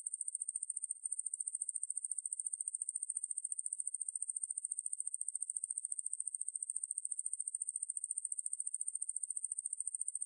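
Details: Ruspolia lineosa katydid calling in a high, continuous buzzing drone, finely pulsed at a fast, very even rate and steady throughout, with no other sounds.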